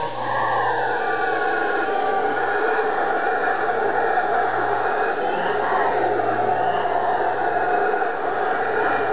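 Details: Several howler monkeys calling together on Ilha Grande, Rio de Janeiro state, Brazil; a steady, rumbling chorus of overlapping wavering tones, gently rising and sinking in pitch, continuing without pause for the whole stretch.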